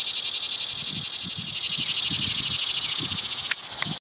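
A green annual cicada sings a loud, steady, high-pitched buzz that hardly wavers.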